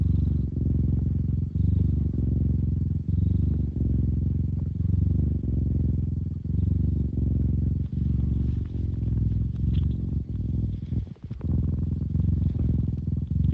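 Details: Deep, bassy purr from a cat, continuous low rumbling broken into breath cycles roughly every second, with a short rustle near the end.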